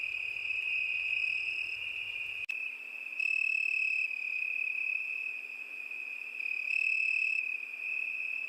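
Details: A cricket trills continuously at a high pitch. A sharp click breaks in at about 2.5 seconds, after which the trill grows louder in two swelling pulses.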